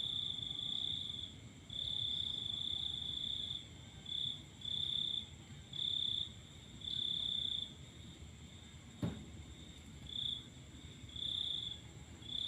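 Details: Cricket chirping at night while the full moon is watched: high trilled bursts, longer at first then shorter and more broken, with one sharp click partway through and low background rumble.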